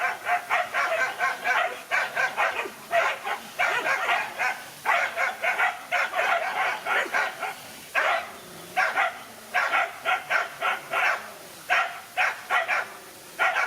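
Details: A lone dog battles two males with loud, rapid barking in clustered bursts of three to five sharp barks. Short gaps separate the runs, which continue steadily across the whole stretch.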